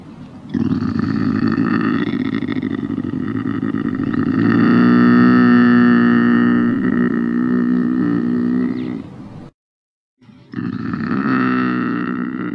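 A Eurasian lynx utters a drawn-out, harsh, droning yowl with a throaty, buzzing tone that grows louder and steadier midway. After a brief silence the same rasping moan starts again.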